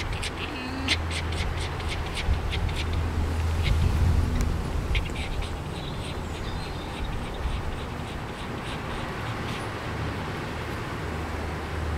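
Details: Tame fox named Jenson, excited and pleased to see its keeper, giving bursts of short, sharp squeaky chirps in quick series, loudest early on and again mid-clip, over a steady low rumble; a man's voice follows.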